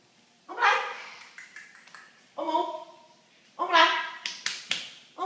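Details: A Cavalier King Charles Spaniel puppy gives short, high, tonal whines and yelps in bursts while a person talks.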